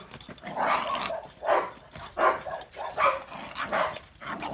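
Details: Dog, either a Dogo Argentino or a Cane Corso, barking loudly in a steady series of deep, rough barks, about one every three-quarters of a second, with no other clear sounds.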